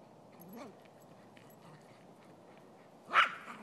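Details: A male Silky Terrier playing football defense on a lazy Sunday in Truckee, California. A faint rising whine comes early, followed by a single loud, sharp bark near the end over a quiet background.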